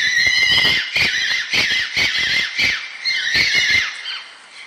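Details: Fox calling with harsh, high screaming yelps in quick bursts about every half second, a steady run of loud, rasping cries with short gaps between them.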